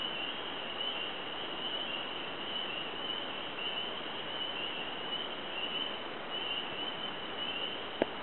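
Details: Frogs in a freshly flooded cypress swamp in Lowndes County, Georgia, in early March 2012, producing a steady shrill trilling chorus without pause; a brief sharp knock sounds near the end.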